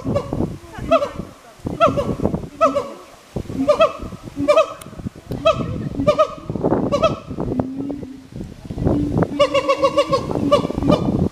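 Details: Two siamangs at Hirakawa Zoo, Kagoshima, Japan, answering each other with repeated honking barks over a noisy background, including a lower sustained tone midway and a quick run of barks near the end.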